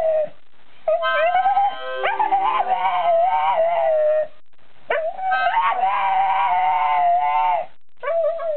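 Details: Staffordshire Bull Terrier howling along to harmonica playing: long wavering high howls with rich harmonics, two sustained bouts of several seconds separated by a short pause, harmonica notes blending in.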